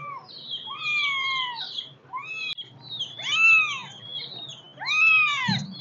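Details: High, plaintive kitten meows, about five drawn-out arching calls, the later ones louder and wavering, ending with a soft thump.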